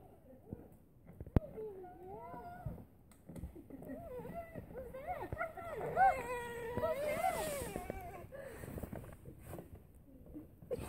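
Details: Airedale Terrier excited to see its owners return home, giving a long, wavering, high-pitched whine that rises and falls in sliding harmonic tones, growing louder in the middle, with faint background noise.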